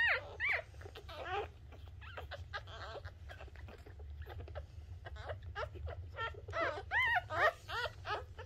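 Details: Shih Tzu puppy just born, crying in quick high-pitched arched squeaks, roughly two or three per second, louder toward the end, with a low steady hum underneath.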